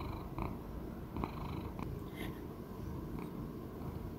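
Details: Purring from Choux, a sixteen-year-old male Persian Chinchilla cat kept indoors: a deep, even rumbling hum with occasional short crackling bursts and faint clicks on top.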